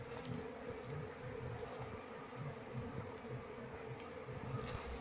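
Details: Many Asian honey bees of a wild colony hum continuously while being transferred to a box and searched for the queen; a dense, unbroken droning buzz with a slight pulsing texture.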